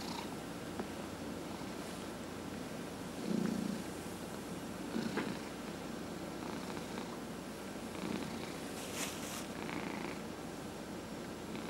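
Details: Purring from a 14½-year-old male pet cat receiving a head massage: an unbroken low vibrating rumble, briefly louder around the fourth and fifth seconds, with light rubbing and rustling noises over it.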